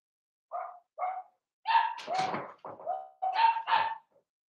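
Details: Blenheim Cavalier King Charles Spaniel puppies, seven weeks old, from a litter of five in an indoor puppy pen: two short high yips, then a quick run of louder, rougher puppy barks, some overlapping.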